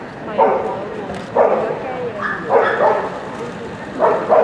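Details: Dog show hall at the CSL pet and aquarium expo during the 204th FCI event: an American Cocker Spaniel barks loudly, four or five short, punchy barks roughly one second apart over a murmur of voices.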